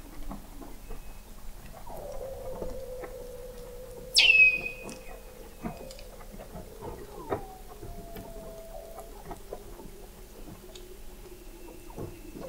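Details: Under the sea ice of McMurdo Sound, Antarctica, Weddell seals call in November 2017, picked up 21 m deep by an observatory; a long, slowly falling tone, one sharp high descending chirp, and crackling clicks.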